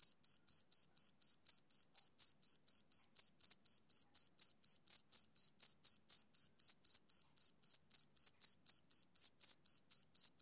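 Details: Male cricket chirping on a summer evening: steady high, shrill chirps about four times a second, evenly spaced and unbroken, with no other sounds in the background.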